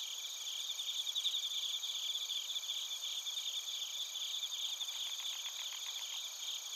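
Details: A chorus of bell crickets and other crickets in Narita, Chiba, Japan, recorded with a TASCAM Portacapture X8: continuous shrill ringing at several high pitches, fluttering pulses early on, and a short run of evenly spaced chirps near the end.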